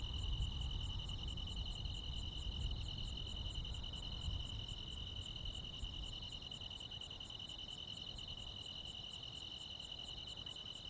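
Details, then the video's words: Countryside crickets and insects singing on a summer night: an unbroken high-pitched trill plus quick regular high chirps, roughly three to four per second, set against a low background drone. "시골 야간 귀뚜라미, 벌레 소리"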